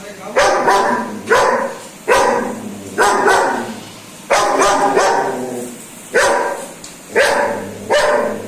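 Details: Frightened German Shepherd barks at a remote control car, giving a steady series of loud, ringing barks roughly once per second, with faint voices audible in the background.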